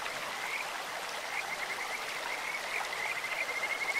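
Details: Stream-side Kajika frog with a sweet, bird-like voice: brief high trills early, then a clearer rapid pulsed trill rising slightly at the close, over steady babbling water.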